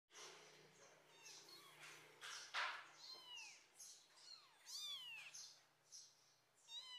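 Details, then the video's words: Kitten being cuddled, giving a run of thin, high-pitched mews, some rising and falling, many short and quick, amid soft rustling and a low steady hum. "Cuddle Tiger Kitten Meowing"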